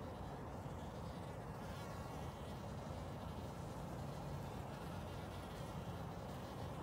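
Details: Springtime honey bees collecting water to take back to their colony produce a continuous low, dense buzzing hum, with soft birdsong in the background.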